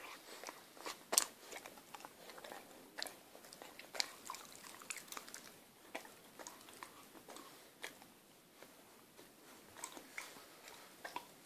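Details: Six-month-old female Akita puppy working at sticky toffee from a chocolate eclair. Eating takes her five minutes, with calm spells between frantic bursts. Irregular wet crunches and sharp clicks sound about every few seconds over quiet.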